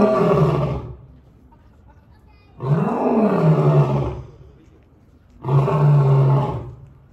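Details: African lion roaring at Cleveland Metroparks Zoo, likely Doc, a nine-year-old captive male; three deep, loud roaring bursts about a second long, spaced roughly two to three seconds apart, with low grunting tones and quieter gaps between.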